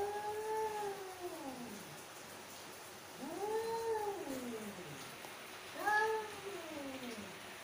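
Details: Angry female mother cat uttering three slow, moaning yowls, each swelling upward then falling away in a long downward slide, evenly spaced with quiet pauses between.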